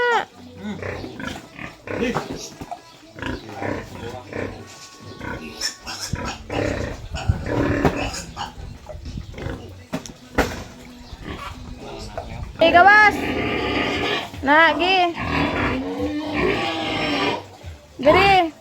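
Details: Sow being turned over on a farm in the Philippines; after a stretch of talking and handling noise, loud harsh squeals break out from about thirteen seconds, repeated in bursts, with people speaking throughout.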